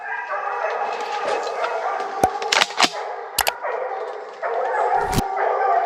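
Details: Several hunting dogs, including Tina, baying at wild boar brought to bay during a hunt in the Cévennes; dense overlapping bays and howls, broken by sharp loud cracks around two to three and five seconds.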